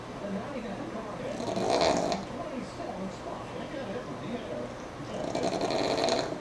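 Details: Sammi the pug asleep while NASCAR plays, giving two long, raspy, breathy snores about four seconds apart, each swelling and fading, with a murmur of background noise between them.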